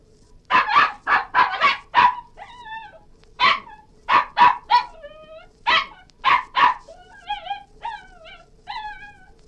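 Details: Cairn Terrier giving a run of sharp, high barks and yelps in quick bursts, broken by short wavering whines that rise and fall, with about a dozen bark bursts over nine seconds.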